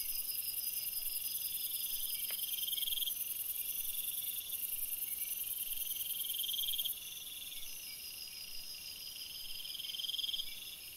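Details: Night-time forest crickets form a continuous shrill chorus of stacked high tones, with brief louder trills rising and fading over the constant hum and one short click partway through.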